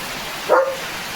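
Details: German Shepherd named Leo gives one short, sharp bark, announcing that rain has arrived; a steady hiss of rain drumming on a tin roof fills the background.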